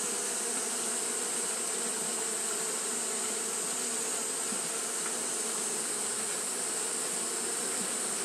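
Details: Continuous fanning by Japanese honey bees during hot weather gives a dense, steady hum without breaks, with a sustained high hiss over it for the whole stretch.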